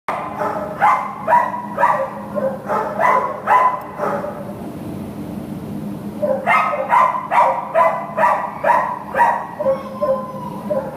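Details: American Pit Bull Terrier up for adoption, recorded 15 September 2015, barking in a regular run of about two barks per second, pausing near the middle, then resuming with equally steady, harsh, mid-pitched barks.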